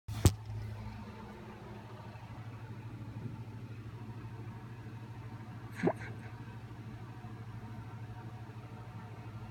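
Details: A steady low hum fills the recording, broken only by two sharp clicks near the start and middle; no animal sound is heard.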